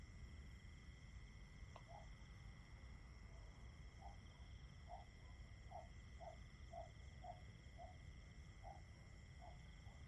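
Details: Unbroken high-pitched cricket trilling fills the background as several layered steady tones. A lower series of brief pulsed notes sounds roughly twice a second over a constant dull rumble.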